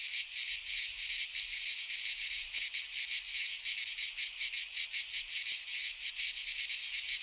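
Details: Cicadas singing in midsummer in a Greek pine forest: a dense, continuous buzzing chorus, high and hissing, pulsing slightly about three times a second with no other clear sounds.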